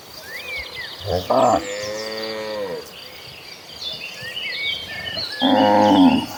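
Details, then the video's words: Herd of cattle heading to green pastures: a short bellow followed by a long descending moo, then a brief loud moo at the end, with bird chirping throughout. "An Agitated Herd of Cattle Running Toward Green Pastures, with the Sound of Mooing Cows."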